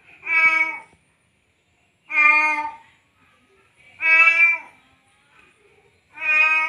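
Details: Male domestic cat in heat, having just mated, calling a female with four long drawn-out meows, one roughly every two seconds, each loud and harmonic, with silence between them indoors.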